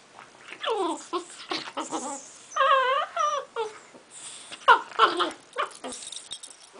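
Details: Frank, an English Bulldog, plays on a couch with a chocolate Labrador, giving loud whining, yowling cries with wavering rising and falling tones in short bursts, plus rustling and a person's voice nearby.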